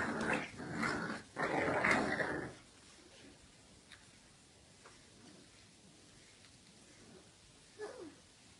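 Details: Two wrinkly Bulldog puppies growl and grumble in a playful fight, followed by a few soft yelps and whimpers.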